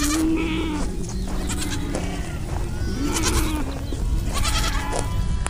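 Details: Sheep giving a few shaky, drawn-out bleats, partly faint and mixed with other calls, set against steady low rumbling background noise.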